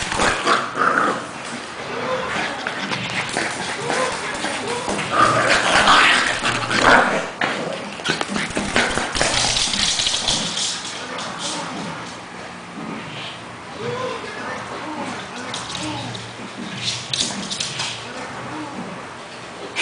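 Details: Pekingese named Cash play fighting with Lebron, a two-month-old English Bulldog puppy, in a mock fight: rough, uneven growls and scuffling noises come in bursts, with a person's voice partly audible in the background.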